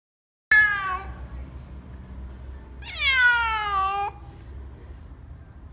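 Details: Domestic cat meowing: two long, harmonic-rich meows, the first dropping in pitch over half a second, the second held about a second with a slight fall, over a faint low background hum.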